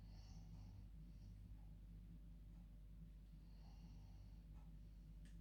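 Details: Asleep in her bed at bedtime, a female dog makes two faint, airy snoring breaths a few seconds apart, with a low continuous hum in the room.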